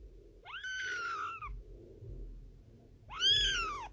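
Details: Two high arched kitten meows, each sweeping up then gliding down, separated by about two seconds of quiet with faint rustling.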